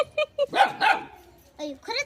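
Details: Little dog, a shy cat nearby, gives two sharp barks in quick succession, framed by a person talking in Marathi just before and after.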